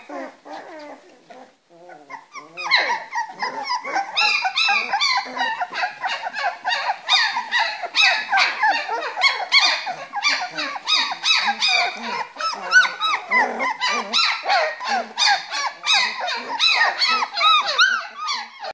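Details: Three-week-old Springer Spaniel puppies playing in their box: after a quieter start, a continuous chorus of shrill arched squeals and whines from several pups, about three a second, overlapping throughout.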